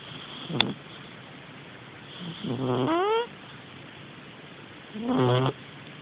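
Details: Puffel, a pet cat, snores while sleeping soundly: two nasal, harmonic breaths around a second long each, the first sliding upward in a whistled tone, spaced about three seconds apart, after a brief sharp click.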